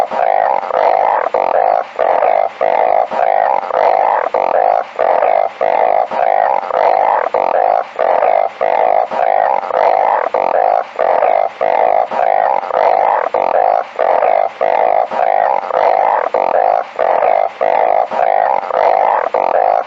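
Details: Balloon frog calling: a dense, droning chorus of buzzy, nasal moans, each note about half a second long, repeating nearly twice a second with brief gaps, with no other clear sounds.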